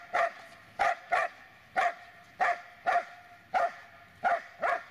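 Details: Dobermann named Magmar Von Der Burgstätte barking: eight loud, sharp barks spaced roughly half a second to a second apart across five seconds, each a short burst with strong mid-range harmonics, over a quiet background.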